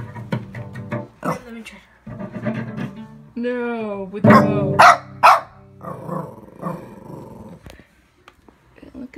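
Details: Shih Tzu puppy barking at cello practice: a wavering, whine-like howl rises and falls, then a quick burst of three or four sharp yelping barks, with bowed cello notes playing throughout and a few voices.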